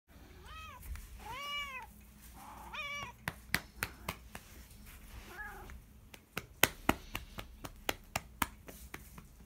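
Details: Domestic cat giving several harmonic meows, some rising then falling, followed by a run of sharp slapping claps repeated about every half second.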